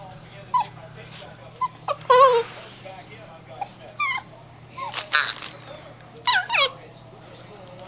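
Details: Stormy, an 8-week-old female German Shorthaired Pointer puppy, giving her first bark: short high yips and whimpers, some rising and falling, scattered through the stretch, with people talking and a steady low hum behind.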